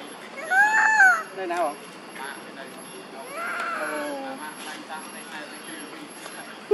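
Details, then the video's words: Monkey mothers Duchess and Queen crying out for their missing baby Quinton. Two loud arched, tonal calls rise and fall near the start, a fainter wavering call follows mid-way, over steady background hiss. "Mom Duchess And Mom Queen Huge And Crying Calling Their Baby"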